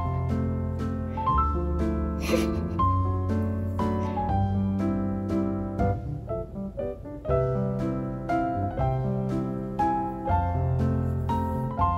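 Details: Upbeat piano background music plays throughout, with no animal sound heard.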